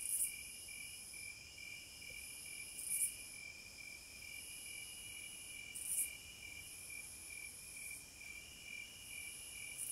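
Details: Cicadas in the wild: brief sizzling bursts and soft buzzing swells recur every few seconds against a steady, shrill insect hum.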